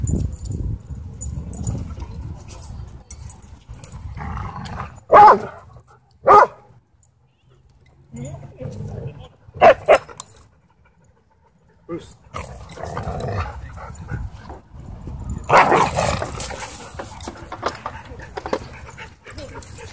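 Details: Dog at a dog park giving a few sharp, loud barks spaced a second or more apart, with a pair close together near the middle, between stretches of human talking and outdoor background noise.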